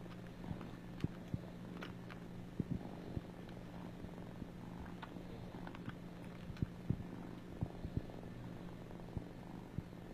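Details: Domestic cat purring: a steady low rumble with harmonic bands held throughout, broken by scattered clicks and brief taps.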